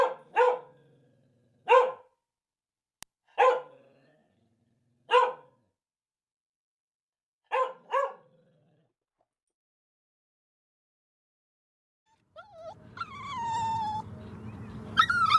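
A dog gives short, sharp barks, some single and some in quick pairs, spaced a second or two apart.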